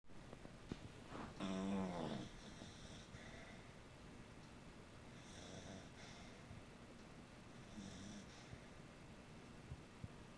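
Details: Beagle named Lightning sleeping relaxed at night, giving soft, low snores: breathy rasping bursts roughly every three seconds, the first longest and loudest, over a quiet, steady room hiss.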